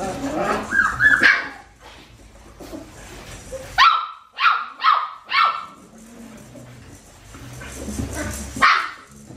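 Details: Winnie's Australian Shepherd puppies, aged four weeks and five days, filmed on a farm baby cam: a thin whine opens, then four sharp, evenly spaced high yips burst out mid-clip, and one more yip follows near the end.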